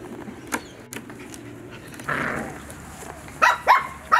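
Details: Mini doodle puppies, a Bordoodle and cavoodle cross, playing and eating breakfast; a few short, high, harmonic yips burst out near the end after soft scuffling and clicks.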